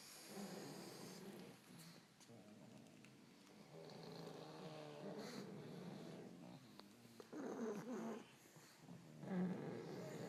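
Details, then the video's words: A pile of pugs sleeping in the corner of a bedroom, snoring softly indoors; low, rough, irregular rumbling breaths, faint and uneven, with a few louder snorts toward the end. "Snoring Pile of Pugs II"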